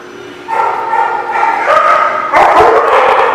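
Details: Dog barking, recorded on 5/12/18: loud, harmonic barks in a rapid, irregular run, rising in intensity after the first half-second, with a second, harsher burst of barking near the end.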